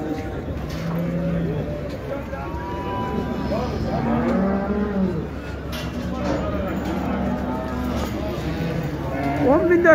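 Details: Livestock market at Şarkışla, Turkey, on 15 January 2022, as a pregnant cow is sold; low moos and a few wavering, arched calls rise from a busy crowd of talking men and general market din.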